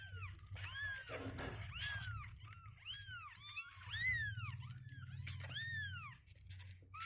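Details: Kittens two weeks of age, restless and refusing to sit in the box, mew repeatedly: clear arched cries roughly every half second, overlapping voices, steady low hum beneath.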